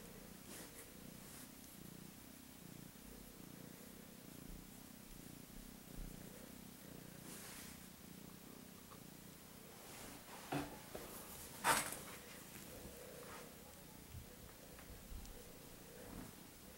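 A Siamese kitten purrs with a steady, low, pulsing rumble, broken by a few soft clicks.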